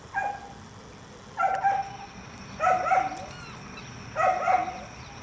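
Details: Dachshunds at Wey Farm in February 2012: four separate barks, each a short harmonic yap with slight rising and falling pitch, spaced about one and a half seconds apart, over a faint steady background hum.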